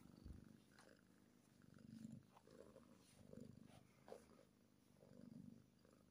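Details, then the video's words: Purring happy kitten with a deep, even rumble that swells and fades in slow breaths, punctuated by a few soft clicks and rustles. "Happy Kitten Purring-Cute Cat Video-Comforting Cat Sounds for Relaxation-Cat Sounds Happy"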